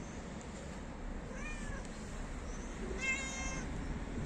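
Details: Two short meows from a stray cat known for licking feet: a faint, thin one first, then a louder, brighter meow about a second and a half later, against constant urban traffic hum.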